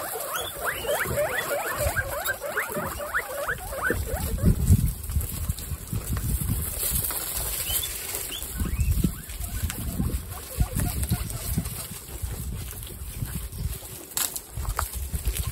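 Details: Pet guinea pigs, one of 29 kept together, eating watermelon: a burst of high rising squeaks in the first few seconds, then mostly low munching, rustling and thumping noises from the feeding animals.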